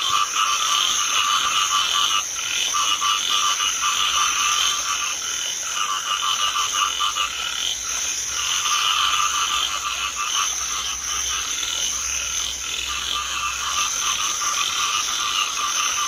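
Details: Continuous loud chorus of Chinese edible frogs filling a rice field in drizzling rain, countless rattling croaks merging into an unbroken pulsing roar with a faint low rumble beneath.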